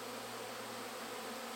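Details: Honey bees swarming around a beekeeper beside the honey supers of their hives, thousands in the air: a dense, steady droning hum with a low constant tone, unbroken throughout.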